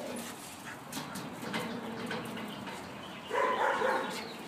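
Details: Yorkshire Terrier puppy running and playing with friends in a yard; a short tonal, whining yelp near the end follows a stretch of quiet rustling and soft background noise.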